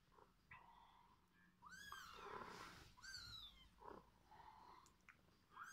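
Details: Mother cat feeding her kittens; several high, arching mews rise and fall in quick succession, some sliding upward, over a low, steady background hiss.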